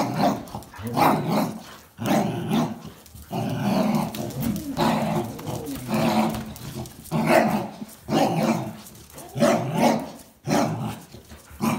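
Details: Jack Russell Terrier and two Border Collies tugging at a towel in play; rough growling bursts repeat roughly once a second, broken by short gaps, noisy and harsh throughout.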